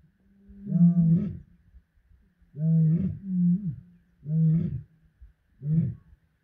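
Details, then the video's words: A lion roars in deep, throaty bursts repeated every second or two at misty dawn in iMfolozi. "Enchanting Lion Roars in the Misty Dawn"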